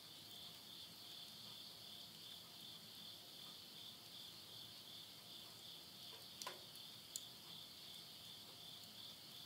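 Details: Midnight insect voices in rural Yurihama, Tottori, Japan, September 2020, end of summer: a constant high, even trill fills the background, broken by two or three loud pops from a stove's burning logs.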